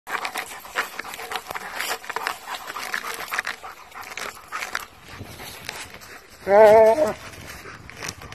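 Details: German Shepherd, a determined dog, struggling to pick up a huge stick outdoors; breathy rustling and scuffling noises, then one short, loud, wavering whine near the end, followed by quieter shuffling.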